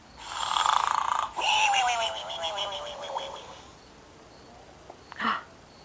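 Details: Asleep, a pig gives one long rasping snore that slides downward in pitch and fades, followed by quiet and a brief short snort near the end.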